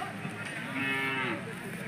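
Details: Hallikar cattle at the Sunday Jodugatte cattle market, a single drawn-out moo with stacked harmonics, over a background of market chatter and voices.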